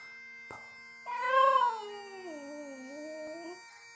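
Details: Toby, a Border Terrier, sings along to bagpipes linked to the Edinburgh Tattoo: one soft, wavering howl rises, then slides slowly lower and fades, over faint steady drone tones in the background.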